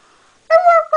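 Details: Maddie, a Norwegian Elkhound, howling with a Husky: after a faint low hum, a loud, clear, steady tonal howl note lasting about half a second, then a brief second note.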